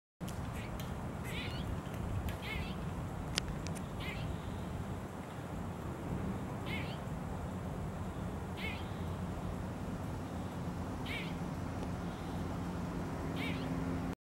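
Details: An Eastern grey squirrel in a neighbourhood park gives short, harsh alarm calls repeated every one to two seconds.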